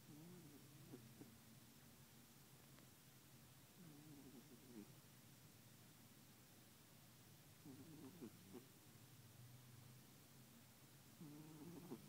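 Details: Sleeping calico cat curled up with another cat, giving loud snores as rough, buzzy breaths roughly every three to four seconds, separated by quieter stretches against a constant low background hum.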